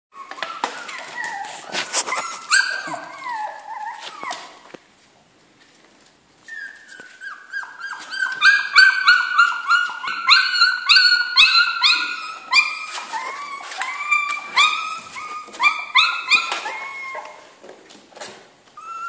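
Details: Jack Russell Terrier puppies in a kennel, several overlapping high whimpers and squeals, rising and falling, many short harmonic cries repeated rapidly, with clicks and rustling between them and a brief quiet gap partway through.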